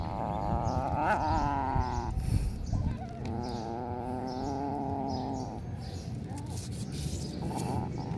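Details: Three kittens meowing at feeding time: a wavering meow of about a second and a half that rises and falls, a brief pause, then a long, steady, drawn-out meow of over two seconds. Low rumbling noise runs underneath throughout.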